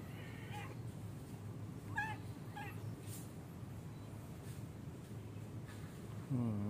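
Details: Cat playing in a park, where it plays daily, giving a few short, rising-falling meows near the start, spaced about a second apart, over a steady low rumble of background noise, with a brief sharper cry at the end.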